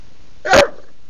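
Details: Betty, a female bulldog, barks indoors on a Sunday to demand her dinner at mealtime; one short, sharp, loud bark, with a woman's voice talking to her just before and after.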